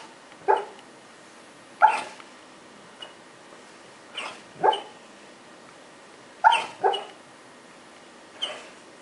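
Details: Chowder, a pet dog, making noises while he dreams in his sleep: short muffled woofs and yips, about seven in all, some in quick pairs, separated by quiet breathing-level pauses indoors.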